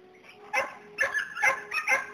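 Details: A herding Border Collie lets out four or five quick, bright barks in the second half of the moment after a brief quiet start, with a steady low hum behind.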